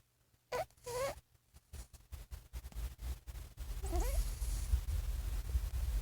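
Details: A sleeping domestic cat, thought to be dreaming or snoring, gives two short wavering, whimpering moans early on and a third bending moan later, over a steady low rumbling hum that fills the second half.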